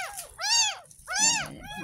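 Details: A ten-day-old gutter-rescued kitten, mid first bath, lets out two loud, clear arching mews about three-quarters of a second apart, with faint splashing underneath.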